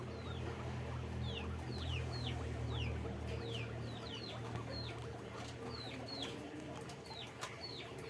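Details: Caged guinea pigs on a farm squeak repeatedly, with rapid runs of brief descending high notes, several callers overlapping, and a constant low droning hum underneath.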